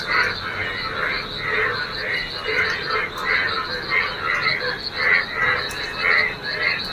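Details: On a rainy day, a crowd of yellow frogs fills a waterlogged local field with song: rapid, buzzy croaking bursts repeating about twice a second over a steady background hum.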